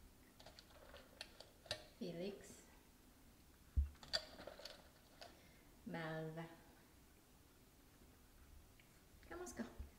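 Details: Three cats, tabby Felix, calico kitten Malva and brown-and-white tabby Rico, waiting for treats indoors: two drawn-out, wavering meows a few seconds apart amid sharp clicks and tapping.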